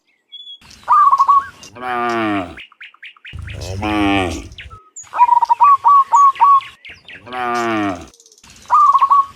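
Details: Cows in the morning returning from the field to the pen: three long, deep harmonic moos, each rising then falling. Between them come bursts of quick chirping notes, likely a bird, and faint background sounds.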